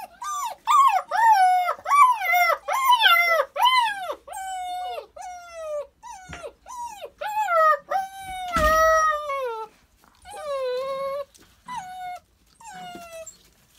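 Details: Puppies nine weeks old, dated January 22, 2018, give a run of high, harmonic whines and yelps that slide up then fall, several overlapping in quick bursts, easing into longer drawn-out howls with gaps between them.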